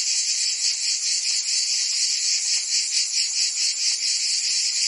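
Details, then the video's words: Cicadas singing in summer in Provence, France: a continuous, dense buzzing drone high in pitch, steady in loudness with a faint rapid pulsing throughout, no other sounds. "Cicadas singing in France (Provence)"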